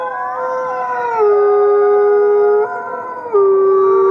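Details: Gray wolves howling in chorus at the Wolf Conservation Center, South Salem, New York, captive animals: several layered tones drift downward, and a loud low howl settles, breaks off briefly, then resumes on the same note.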